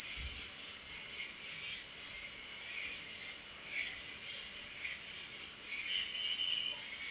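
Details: Cricket at night: a steady, shrill, high-pitched trill that pulses about three to four times per second without a break, with faint, softer, lower chirps from other insects beneath it.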